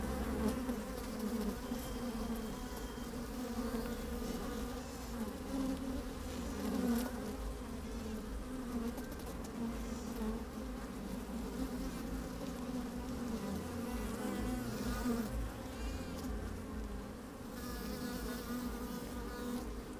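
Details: Twenty seconds of honey bees busy at work in an open hive on a fine, sunny day, microphone inside the hive: unbroken droning hum rising and falling gently, intermittent close buzzes, clicks and some low wind noise.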